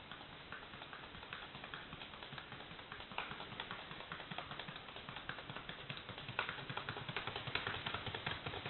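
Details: Rapid ticking footfalls of Carpintero, a Paso Fino horse, about two and a half taps per second, growing a little louder and crisper toward the end.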